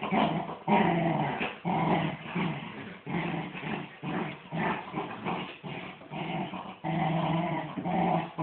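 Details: Two miniature wirehaired dachshunds, a mother and her son, play tug of war; rough, rumbling growls in bursts with brief pauses between rounds.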